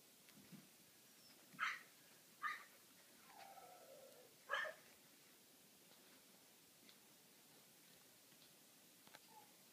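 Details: Tibetan Terrier puppy playing on a play mat indoors; three short, sharp yips about a second apart, then a soft whine, with quiet room background.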